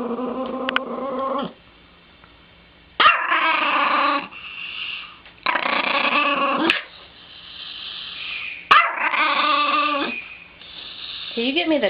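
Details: Chihuahua indoors: five drawn-out, harmonic, whiny growling barks, each about a second or more long, separated by short pauses, with a small room's echo.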